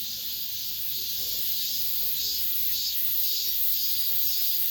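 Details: Last cicada song of the summer within an apartment complex: a loud, continuous shrill buzz from many insects, rising and falling in soft waves roughly twice a second.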